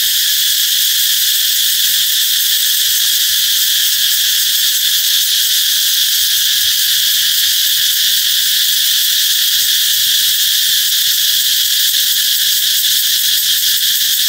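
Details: Cicadas singing loudly, heralding the coming of summer: a dense, unbroken high-pitched shrill buzz holding steady throughout, with no pauses or other clear sounds.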